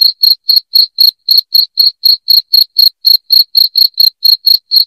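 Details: A cricket chirps loudly and insistently, a sound meant to chase rats from a house; crisp high-pitched pulses follow one another about four per second on a silent background.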